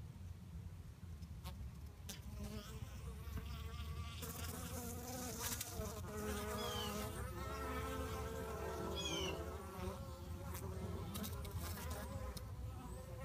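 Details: Fighting honey bees produce a steady, dense buzzing hum with wavering tones that swell in the middle, punctuated by occasional sharp clicks and short high whines.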